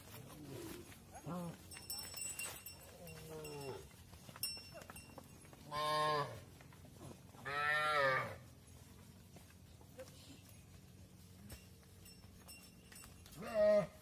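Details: Cattle at a barn, mothers going inside as calves remain outdoors; loud drawn-out moos around six and eight seconds, shorter bellows earlier and a final call at the end, faint cowbell-like ringing in the background.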